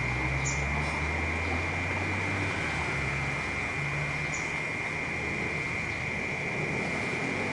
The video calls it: เสียงจั๊กจั่นในเมือง Cicada In The City Ambient Sound Effect